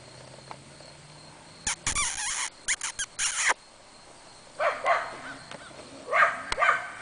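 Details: Outdoors in sunshine after a rainy spell, the excited dog Mr. Dex roams around; loud rustling and handling noises come first, then two short bursts of yelping, whiny barks near the end.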